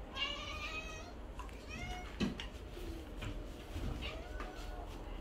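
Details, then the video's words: Hungry Siamese cats, seal point and lynx point, meowing loudly for food indoors: several drawn-out, harmonic meows that rise then fall, the first long and wavering, the rest shorter and spread through the clip, with a person's voice and household noise behind. "Cats cry for beef"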